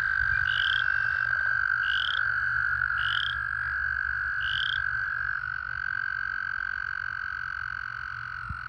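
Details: American toads calling during breeding season in puddles and pools, some in amplexus, make a steady, unbroken musical trill, several voices blending into one breeding chorus.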